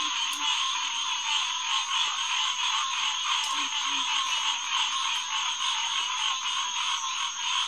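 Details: Hyla cinerea in full night chorus at SMNWR's Headquarters Pond, June 2, 2021, 9:10pm: dense overlapping calls throb steadily at well over one a second, over occasional soft low grunts.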